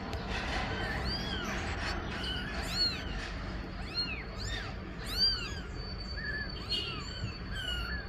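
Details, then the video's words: Domestic cat scene where the mother meows asking for her kittens to go into the nest: several thin, arching mews in irregular bursts, some overlapping, then quieter falling notes, over background noise and a steady high tone. "Mamãe gata mia pedindo para colocar os filhote no ninho"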